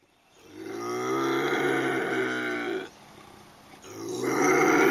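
A bobcat gives a long, low, droning growl for about two seconds, breaks off briefly, then starts again, rough and steady in pitch.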